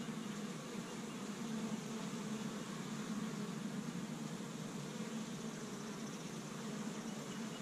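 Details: Low, even droning of a busy honey bee colony at its hive in Michigan on the first warm day of spring, with bees gathering tree-bud pollen; the buzz holds steady, its hum swelling slightly at moments.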